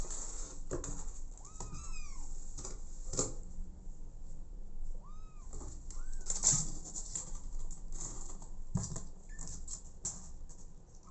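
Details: Abandoned kitten adopted by mother cat Smokey gives a handful of brief, high, curving meows spread across the stretch, amid soft thumps, rustles and fluttering noise.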